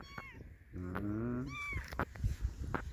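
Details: Motherless kitten calling: a brief high meow at the start, then a low droning voice-like tone, followed by a short, arched, high-pitched mew. Scattered clicks and handling noises sound around it.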